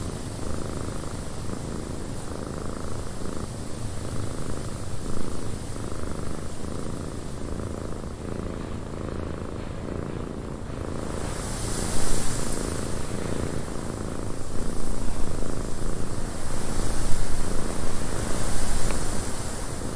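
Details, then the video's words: Cat purring inside a cabin on a windy day, the deep continuous rumble beating in rapid regular pulses while wind hiss swells louder in the second half. "Cat Purring in a Windy Cabin 8 Hours of Blissful Purring"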